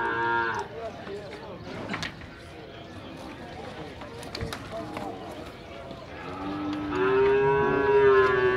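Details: Nelore cattle in a fair corral in Tabira, Pernambuco, Brazil: a brief moo opens, then clattering yard sounds, before a loud, sustained harmonic moo swells near the end.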